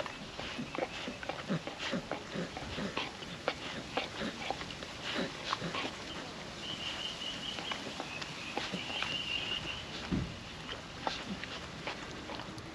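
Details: Puppy dog eating wet food from a food trapper mat on a windy day: dense wet smacking, licking and chewing clicks throughout, with a thin steady whistled tone rising in from the middle and soft wind hiss underneath.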